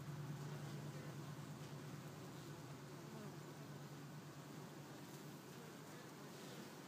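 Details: Honeybees still bringing in pollen on October 1. A low steady hum holds for about four seconds, then fades under a constant broadband hiss.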